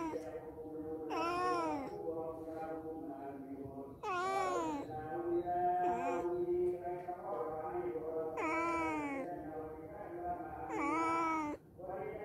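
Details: Cats that visited a house for a day or two give about six loud, rising and falling meows spread over twelve seconds, with softer murmuring, tonal sounds between the calls.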